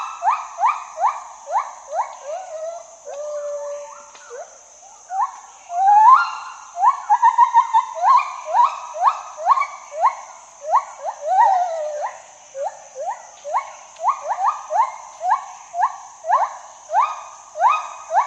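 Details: Gibbon singing a long rhythmic series of upward-sliding whoops, about two per second, briefly breaking into bubbling, wavering phrases midway before the regular rising notes resume, over a continuous high-pitched background hiss.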